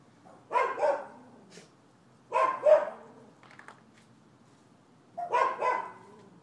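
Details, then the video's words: Dogs next door barking on 12/7/15, noted as nuisance behaviour: three loud double barks, each a rough pair of quick woofs, spaced about two seconds apart, with a faint bark between them. "Barking Dogs"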